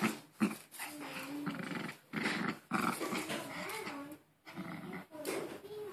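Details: Pet Maltese named Harry growling indoors while playing with his new Angry Bird toy and refusing to let go; low rumbling growls in uneven bursts with short breaks, an owner's voice urging him on now and then.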